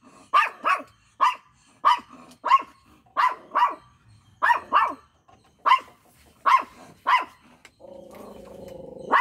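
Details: A micro miniature Pinscher gives a string of sharp, high, yappy barks, some in quick pairs.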